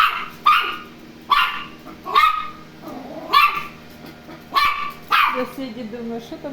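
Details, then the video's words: Toy Terrier reacting to a robot vacuum cleaner on their first encounter, giving repeated shrill yaps about every second, some rising slightly, with a person's voice faintly audible near the end. "Знакомство той-терьера с роботом-пылесосом"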